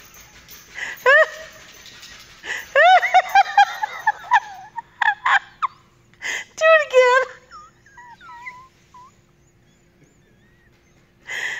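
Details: A pet dog named Zoe vocalizes while being scratched in just the right spot, giving a series of high, arching whines and moaning yelps that rise and fall, in short bursts separated by pauses, with quieter squeaky sounds toward the end.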